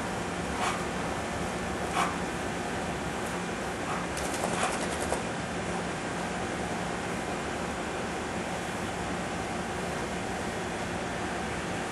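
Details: Steady broadband hum like a fan or air conditioner fills the whole stretch, with a few faint clicks and knocks near the start and no animal voice.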